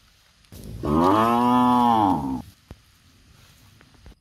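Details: Nursing cows in a palm oil plantation; a single full, even moo of about one and a half seconds, rising slightly then falling, with faint background noise around it.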